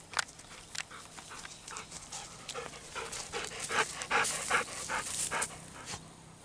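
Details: Two Golden Retrievers, Kohaku and Ibuki, in good spirits in a rice paddy on a hot day, rolling in rice-husk ash right after playing in a river; quick, breathy panting bursts about two and a half per second, outdoors.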